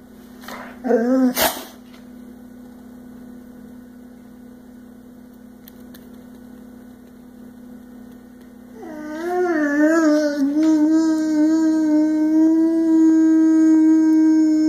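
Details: Brutus, a six-year-old, 100 lb Boxer fond of singing and howling, gives two short yips, then after a quiet pause begins a long howl that wavers up and down before settling into a steady, sustained tone indoors.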